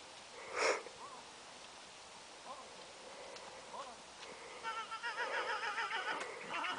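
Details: Geordie the Clydesdale trotting uphill at Karendale Clydesdales gives one loud, sharp snort early on, followed by softer breaths; later a warbling, bird-like twittering phrase repeats in the background.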